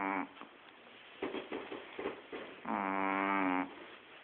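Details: Puffy, a Shih Tzu, snoring: short nasal rasps, then a long, steady, harmonic-rich snore lasting about a second.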